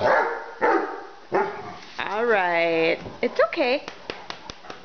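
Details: A 10-month-old female Great Dane puppy indoors in a kitchen barks at a lid set on the ground. Three harsh barks come about 0.7 seconds apart, then a long wavering howl-like note, a short rising yelp, and light clicks.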